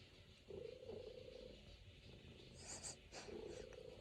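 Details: A pet Norwegian Forest Cat kneads on its owner's lap, purring in a low, continuous rumble that pauses briefly, while a short rustle or scratch occurs near the middle.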